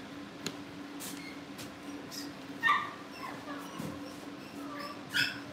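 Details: Cavalier King Charles Spaniel puppies, out of their pen indoors at home before family pick-ups and wanting into the living room, give two short high whimpering yips, about two and a half seconds apart, over a steady low hum.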